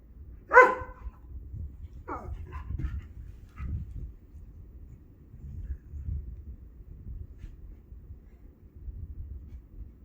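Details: Male pet Borzoi (Russian wolfhound, sighthound) 'talking' to his owner, as if apologising; one loud harmonic moaning bark at the start, then three shorter, softer grumbling vocalisations, followed by low room hum.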